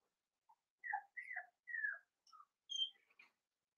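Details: Blenheim Cavalier King Charles Spaniel puppies, a litter of five born on New Year's to Paris and Spike, in an indoor puppy pen: a string of thin, high whining squeals, several sliding down in pitch, in short bursts over three seconds, quiet room.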